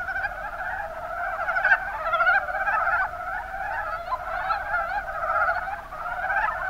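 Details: Massed calling of mountain brown frogs in the Kuma Basin, Kumamoto, Japan: quick, gurgling croaks pile over one another in a constant chattering drone, with brief louder notes standing out here and there.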